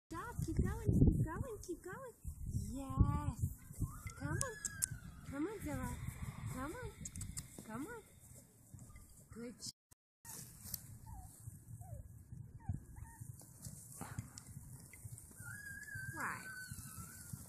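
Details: Japanese Chin puppies, with black and white males among them, in Colorado, giving a run of short high whining yelps with rising-and-falling arcs for about eight seconds, then scattered fainter squeaks, with a person's voice and handling noise throughout.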